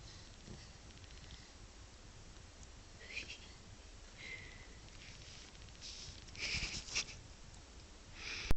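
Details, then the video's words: Bobby, a sleeping pet dog, snoring with his cheeks puffing up; soft snorting, sniffing breaths come at irregular intervals, a few sharper and louder near the end, over a steady low indoor rumble. "Bobby Snoring"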